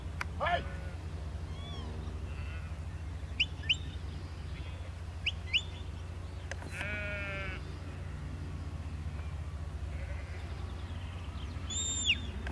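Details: Sheep bleating while being worked in a field by Lars, a four-year-old Border collie. A drawn-out, wavering bleat comes near the middle, with a shorter one at the start, amid sharp high bird chirps and steady low background rumble.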